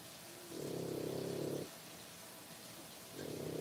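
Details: Three-week-old French Bulldog puppies, born 1/10/25, give low, pulsed, rumbling bursts. One lasts about a second, then a pause of over a second, and another begins near the end. The sound is soft against a steady background hiss.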